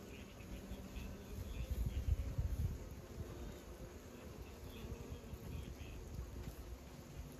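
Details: Low droning hum of bees that swells louder for about a second near the middle, then settles back to a steady buzz with faint rustling.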